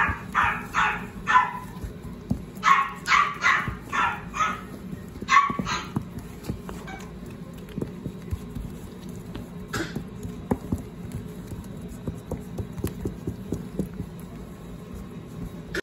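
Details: Lively female Shih Tzu with a gold and white coat gives a rapid run of shrill, clipped barks over the first six seconds, then falls mostly silent with one isolated yap near ten seconds over a steady low background hum.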